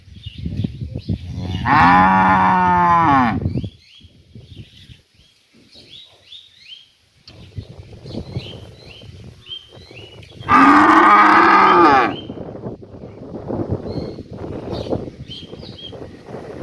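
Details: Village cow calling to another cow that was taken away from the herd, recorded in the morning in a rural setting; two long, loud, harmonic moos about two seconds each, roughly eight seconds apart, with small birds chirping throughout.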